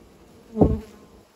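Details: Bee near its new nest building site: one loud buzz swells and fades within about half a second as an insect passes close, over a quiet, faintly humming background.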